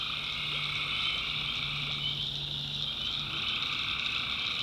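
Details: Tree frogs at night in a North Carolina backwoods swamp, a thick continuous trilling chorus in stacked high bands, with a low steady hum audible beneath for most of the stretch.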